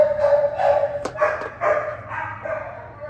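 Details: An adoptable Shiba Inu (Canis familiaris), filmed on the evening of 22 May 2022, gives a run of short, tonal yips and whines, a few each second.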